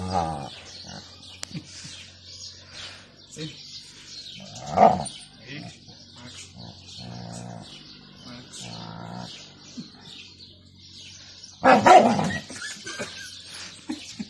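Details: A jealous Alaskan Malamute gives loud, drawn-out woo-woo vocalizations between stretches of human voices, reacting to a new friend.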